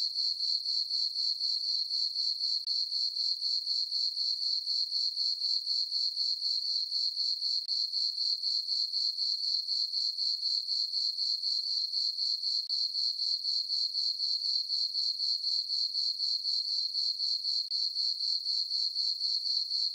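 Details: Crickets in a farm meadow on a peaceful full-moon summer night, their bright, high trilling chirps beating regularly about four times each second, constant in loudness, with no other sounds.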